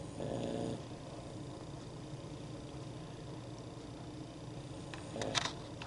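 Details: A female Boston Terrier snores, described as snoring like a man, with two low, rough, rumbling breaths about five seconds apart.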